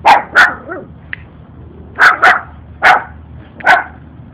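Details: Puppy barking at a stranger, one of two young dogs following a walker and acting as if bigger than him; quick paired yaps with bright upper tones, six or seven barks in four seconds, faint hum behind.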